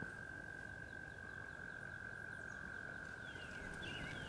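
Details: A chorus of American toads in a Pennsylvania wetland on a warm early-April day, about 81 degrees, trills in long, sweet, high notes merging into one unbroken hum, with a man talking over it and faint bird chirps near the end.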